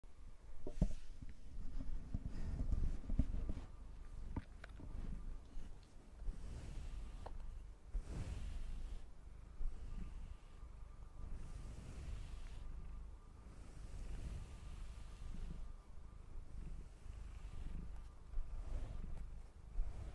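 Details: Domestic cat purring while being brushed indoors, a low continuous rumble rising and falling in soft pulses about every second or two, overlaid with scratchy brushing strokes in a quiet small room.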